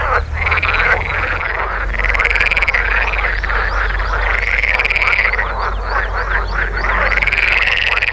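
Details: Spring courtship concert of male water frogs, Rana esculenta, in ponds of the Oldenburger Land, Germany, vocal sacs inflated beside the mouth; steady rattling chorus with repeated arching quacking phrases roughly every two seconds, low background rumble.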